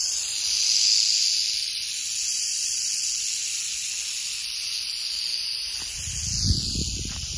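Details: Wild female canebrake rattlesnake, Crotalus horridus, rattling beside a North American dirt road where she had just left droppings; a loud high sizzling buzz swells then eases, with a low rumble and a thud near the end.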